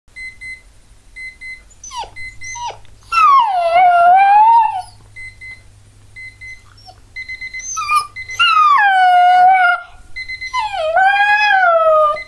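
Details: Border Collie puppy named Revel howling at an alarm clock: steady electronic beeping throughout, broken by three long drawn-out howls that rise then slowly fall, with short whimpers between.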